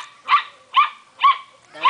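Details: Belgian Shepherd puppy giving four short, high yelping whines spaced about half a second apart, each with a bright rising-falling tone.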